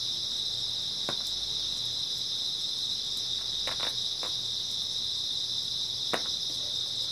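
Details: Steady night trilling of grass insects in early autumn, a constant high buzzing chorus without pauses, broken only by occasional sharp ticks and a paired click near the middle.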